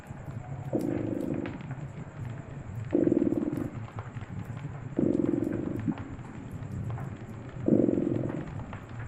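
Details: Cozy winter fireside scene with a purring cat: four rhythmic purr phases roughly a second long, alternating with softer stretches, while the fireplace crackles and snaps in the background.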